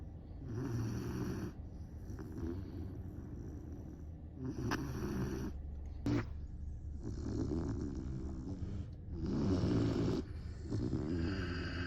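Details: Great Dane puppy Saigo-don asleep and snoring heavily: deep, rasping snores in long rhythmic breaths with short pauses between, and a single sharp click partway through.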